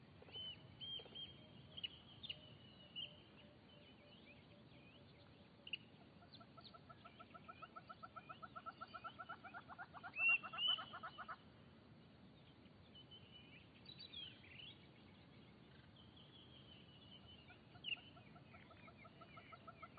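Plains zebra giving a rapid series of harsh, yelping barks, with birds chirping in the background.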